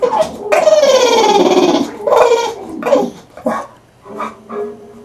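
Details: Elvis, an English bulldog kept as a pet, making funny noises: a loud, long whining moan that slides steadily downward, then shorter yelping and grumbling sounds that fade to a soft hum.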